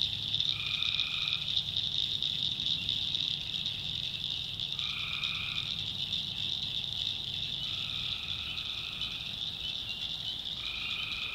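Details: Swamp in the North Carolina backwoods at night, tree frogs keeping up a steady high trill while a lower nasal call of about a second returns four times, spaced several seconds apart.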